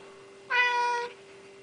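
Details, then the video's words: Loud, bright meow from Mal the Siamese cat when prompted to say hello indoors. A bright, strained cry of about half a second, rich in overtones, is followed by quiet with a steady electrical hum. "The Noisy Siamese!"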